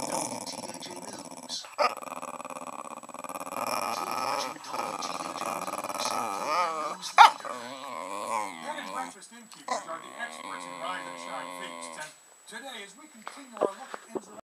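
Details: A black American Cocker Spaniel makes wavering, moaning growls that rise and fall like speech, "talking".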